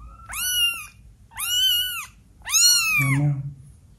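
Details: A 12-day-old kitten giving some of its first meows: three high, thin, arched mews, each rising then falling, spaced about a second apart, with a soft low rumble under the last one in a quiet room.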